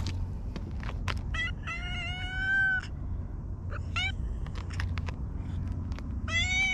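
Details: Mustached park stray Hige Danshaku calls in a series of short chirping meows, then a long level meow lasting over a second, with more brief calls after, above low background rumble.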